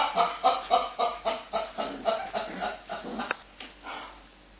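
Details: Two Cava Tzu puppy sisters, Tia and Mya, playing together indoors; a quick run of about a dozen short, harmonic yelping barks, evenly spaced roughly four per second, then trailing off into quieter grunts.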